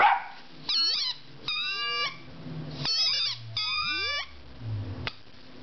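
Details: Ten-week-old puppy Loki, normally not very vocal, sounds his frustration at a rubber squeaky pig. Four strong, high-pitched yelping barks arrive about once a second, some gliding downward and others held level, with short quiet gaps between them.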